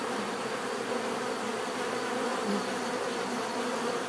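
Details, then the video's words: A continuous natural buzz of bees, dense overlapping humming with a brief louder insect passing midway, otherwise uniform. "bees therapy relaxing natural buzzing sound"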